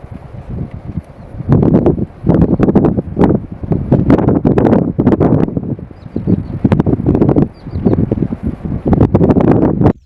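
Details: Lionesses fighting to the death over food in Kruger National Park, South Africa, 2024: harsh, rasping snarls and growls in long, loud bursts of one to two seconds, separated by brief quieter gaps.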